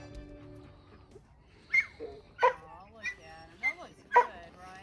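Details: Wolfdog pups meet their foster wolfdog parents again after several weeks in a happy, playful reunion. Short excited yips and barks come about every half second in a loose series, with a woman's voice in the background.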